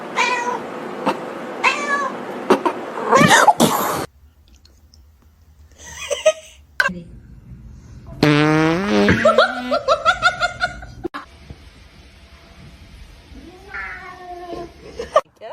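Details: A kitten gives a series of thin, high meows in short bursts, some rising and others wavering, indoors in a studio with people talking nearby.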